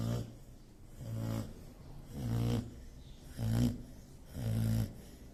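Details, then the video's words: Sleeping dog snoring in low, rasping rumbles, five steady breaths in a little over five seconds, each swelling and fading with quiet pauses between. "Dog Snoring. Asong humihilik."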